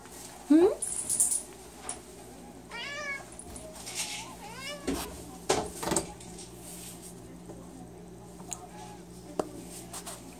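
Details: Upset at a shut door indoors, a cat gives a few plaintive, wavering meows amid a person's speech and household clicks, with a steady low hum in the background.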